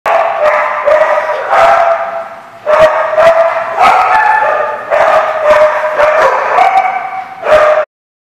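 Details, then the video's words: A dog barking, recorded 24 August 2015 at a dog lot; sustained tonal barks and yelps in overlapping bursts, likely several dogs, nearly continuous for about eight seconds with brief pauses. "The Barking Lot"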